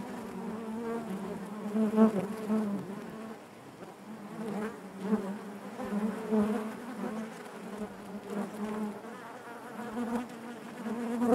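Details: Inside a honey bee hive, a continuous low droning buzz with layered harmonics rises and falls in loudness, many bees humming together with occasional louder close passes.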